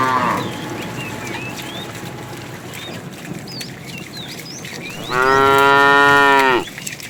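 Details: In a morning herd of cows and calves wandering for food, a single long, rich moo rises after several seconds of rustling and background noise, with small birds chirping.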